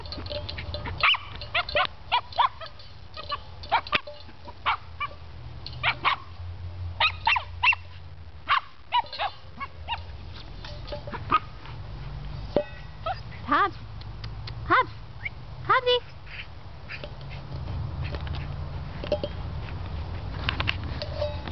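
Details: Hobbes the Cairn Terrier plays with his water pan, with scattered sharp barks and yips among clattering knocks, some brief pauses, and a low background hum.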